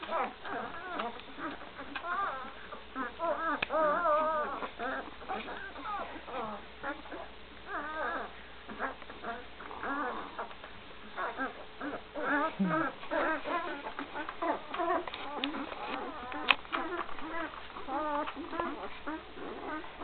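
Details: Gracie's Great Dane pups at one week of age, filmed in 2012, keep up a continuous chorus of high, quavering whimpers and yelps, dense and overlapping throughout, louder in the first few seconds, over a faint steady hum.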